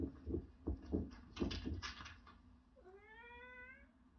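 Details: Domestic cat that loves treats, being asked what it wants indoors; a man's voice and knocking sounds come first, then one drawn-out, slightly rising meow lasting about a second at the end.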